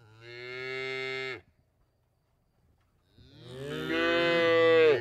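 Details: Two cow moos: a steady harmonic low moo lasting about a second, then after a short silence a louder, brighter, rising-and-falling bellow.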